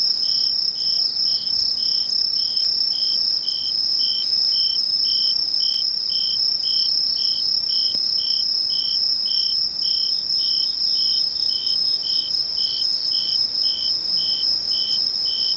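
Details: Insect chorus recorded 21 August 2011 in Mishō, Ainan, Japan; an unbroken shrill high trill runs throughout while a second, lower singer repeats short regular chirps roughly three per second over all fifteen seconds.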